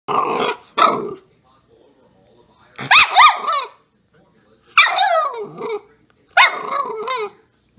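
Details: Young miniature schnauzer puppy at the end of her morning temper tantrum, barking and crying: short bursts of yapping, whiny barks in clusters roughly every one and a half to two seconds, with quiet gaps.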